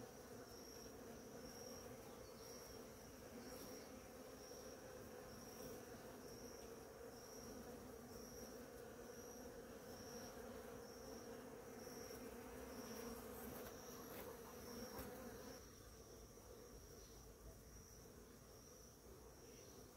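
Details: A crowd of bees feeds on flowering ora-pro-nobis, producing a rich, steady droning buzz that swells slightly then thins near the end, with a faint high pulsed tone recurring throughout.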